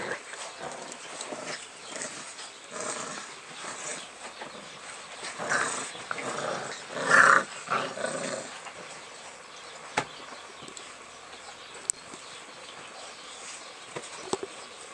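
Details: American Bulldog puppies filmed on 18 February: rough, breathy growls and grunts in short bursts, loudest around the middle, then fading to quiet rustling and a few sharp clicks.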